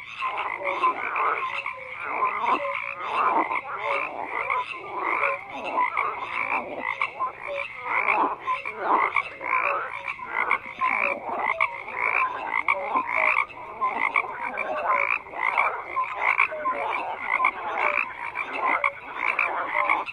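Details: A sustained frog chorus: many animals croak in quick, rasping pulses that overlap without break, with a few short tonal notes standing out now and then.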